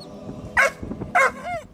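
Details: Two short, forceful, bright barks about half a second apart from a male Dogo Sardo puppy just over three months old, given on command during training, with a man's voice murmuring in between.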